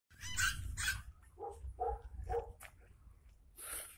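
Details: West Highland White Terrier giving two harsh, broad barks, then three shorter tonal yelps at an even pace, ending with one more noisy burst, over a steady low rumble.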